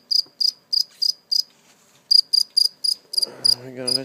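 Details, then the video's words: Captured live cricket chirping: evenly spaced, piercing high chirps about three per second, a brief gap, then more chirps as a human voice rises at the end. "Real live cricket chirping sound"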